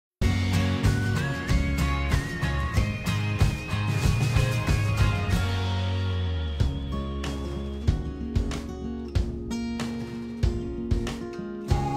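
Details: Instrumental music with guitar, a rising whistled melody line and steady bass beats throughout.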